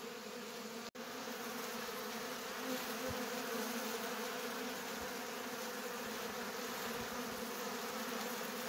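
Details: Honey bees robbing at a Polish apiary in September 2022 make an unbroken droning buzz, with a brief cut near the first second and faint clicks beneath the steady hum.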